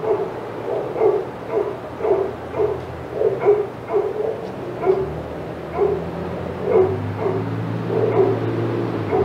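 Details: Dogs at Old Friends Senior Dog Sanctuary going crazy as Titus passes their yard; clustered yipping barks in quick bursts, some overlapping, with a low engine-like drone underneath.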